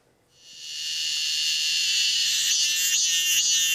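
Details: Korean cicada (Oncotympana fuscata), one of the most common cicadas in Korea at about 36 mm long, sings in summer: a dense, high-pitched buzzing drone that swells in after a brief silence.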